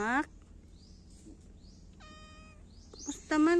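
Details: Domestic cat meowing: a short harmonic cry at the start and another drawn-out meow near the end, with faint chirpy sounds and a brief tonal whine in the quiet stretch between.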